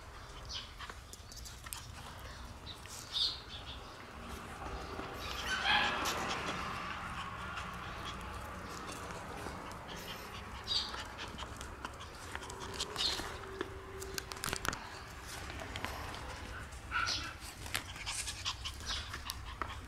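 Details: Black female Shiba Inu puppy born on 12 September, giving soft, brief whimpers and yelps scattered through a noisy background, with occasional higher squeaky notes.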